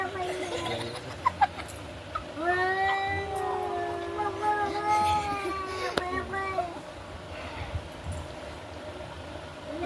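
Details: During a cat fight, a single long, drawn yowl rises, holds steady with slight wavering for about four seconds, then fades, framed by people talking in Bengali and scattered knocks.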